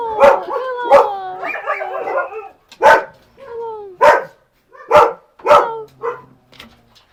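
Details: Husky named Max barking irregularly, loud clipped barks roughly every second with a short whine and a low, drawn tone between them, in otherwise quiet surroundings.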